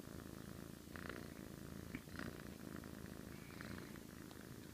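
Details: Sleeping cat giving a low, buzzing snore of rapid pulses, steady throughout, with a couple of brief louder clicks near the middle.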